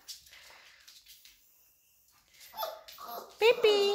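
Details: Labrador Retriever puppies answer a woman's calling with high, tonal whines and yelps.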